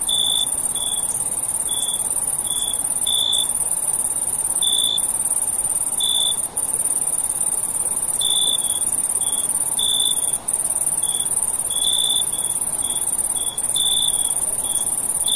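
Crickets chirp at night in short, bright pulses over a steady high-pitched insect drone.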